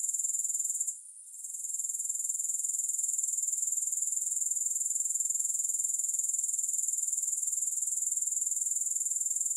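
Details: Grasshoppers calling with no music: a continuous, very high-pitched shimmering trill pulsing about four times a second, briefly dipping near the one-second mark before resuming steadily.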